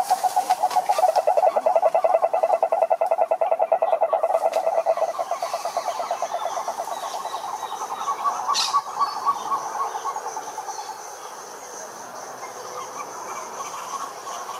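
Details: Cane toads at a lake in Brazil's Atlantic Forest: a strong fast pulsed trill for about five seconds fades into quieter, more distant trilling amid background hiss and a brief sharp noise.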